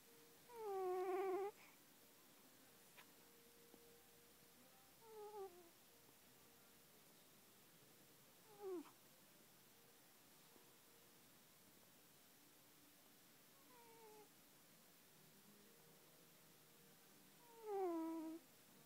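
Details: Sleeping cat snoring indoors, with two loud, tonal, whiny breaths near the start and end and several fainter, shorter squeaks in between, spaced a few seconds apart in a quiet room.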